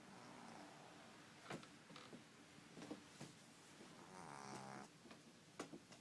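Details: Ten-week-old French Bulldog puppy snoring softly while asleep indoors, its rasping snore breaths rising twice in a quiet room, with a few faint clicks and knocks in between.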